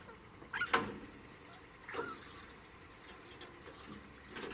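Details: Degu (Octodon degus), squeaks: guarding its food from others.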